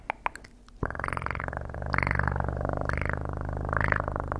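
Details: Close, continuous purring from a house cat: a deep, even rumble with a faint rhythmic swell about once a second, heard after a couple of soft taps at the start.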